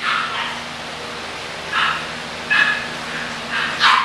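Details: Short high yips from English bulldog puppies come irregularly, roughly one per second, each brief and bright, with a faint steady hum underneath.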